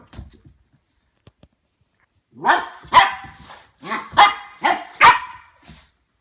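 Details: Ten-week-old Goldendoodle Harvey barks at a new plastic toy ball. Near-silence, then five or six sharp barks about half a second apart.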